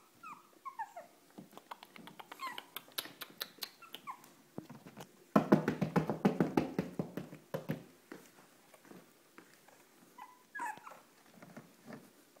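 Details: Tiny Shih Tzu indoors in Marietta, Georgia, gives a few high, falling whimpers, broken by a loud burst of quick rattling clicks and scuffles. A last short pair of squeaky whines comes near the end.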